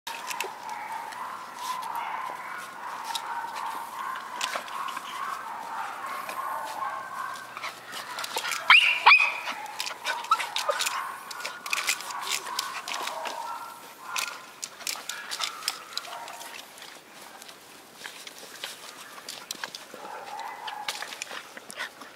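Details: Four white schnauzer puppies, born on 3 and 23 September, whine in steady high-pitched, wavering tones, with a brief sharp yelp midway, over many soft clicks and rustles.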